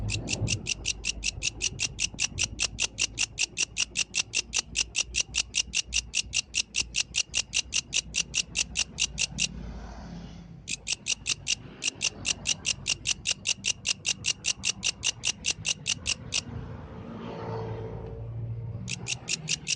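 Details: Night song of a yellow grasshopper outdoors: rapid, even, raspy ticking pulses at roughly five per second, broken by a one-second pause and a longer silence near the end before resuming.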